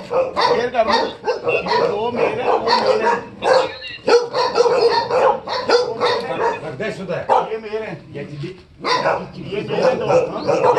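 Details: Rapid, dense barking from a Tibetan Mastiff, short yappy barks tumbling one after another with brief gaps, while a person's voice mixes in between the bursts.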